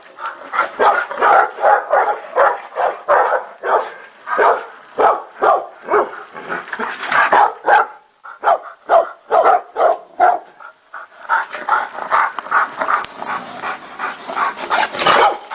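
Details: Fighting Tibetan Mastiffs give a storm of harsh, overlapping barks and growling yelps, fast and irregular, with a brief lull midway before the clamor surges again.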